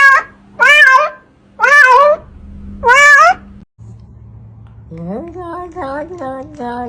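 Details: Pet cat giving three loud, drawn-out meows, then a quieter, wavering, higher mewing phrase after a short pause, with a low hum in the background.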